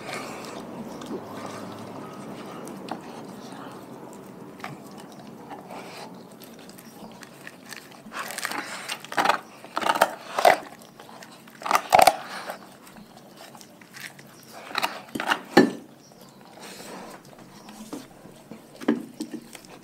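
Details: Raw food diet being eaten by a pack of dogs: soft chewing at first, then loud, separate bone-like crunches in the middle, with faint voices in the background.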